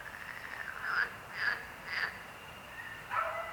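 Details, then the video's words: Frog croaking: a chorus of short nasal croaks repeated about every half second, rising in bursts, over a steady background hum of other calling frogs. "Rechot żab. Croaking frog sound."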